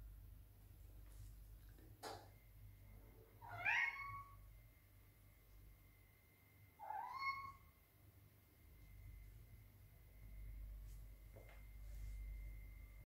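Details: Domestic cat searching desperately for treats in a kitchen, giving two short, quiet meows that rise then fall, about three and a half seconds apart. A sharp click comes between them, over a faint steady whine and low room rumble.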